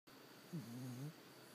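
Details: Charlie, a sleeping puppy, gives one low, drawn-out snore that rises slightly and then levels off in a quiet room with a faint steady hum.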